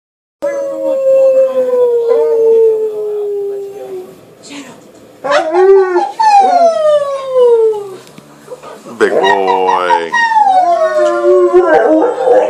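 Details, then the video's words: A 15-month-old male American Akita howls for his mommy while nibbling playfully. One long, smooth howl slides slowly downward, then several shorter wavering howls rise and fall, ending in a strained, rough burst. "AKITA howling for him mommy."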